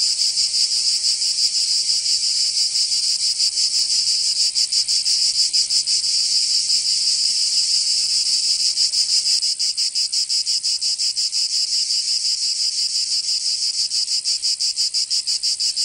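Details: Provence cicadas in summer, southern France: a continuous, sizzling high buzz made of fast, closely packed pulses, easing slightly in loudness about halfway through before carrying on unchanged.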